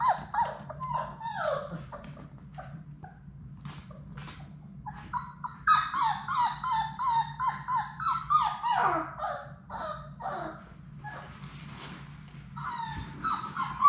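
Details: Sadie's litter of six Labrador Retriever puppies playing together in an indoor puppy play room, giving bursts of high, whining whimpers and short yips that slide downward, tumbling over each other several times a second, with pauses of quieter scuffling between bouts.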